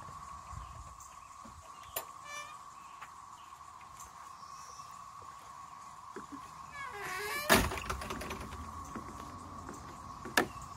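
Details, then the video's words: In 2024, periodical cicadas of combined 13-year and 17-year broods in the Triangle area of North Carolina fill the air with a steady, droning mid-pitched hum that never lets up. "North Carolina Cicada 13-year + 17-year brood noise"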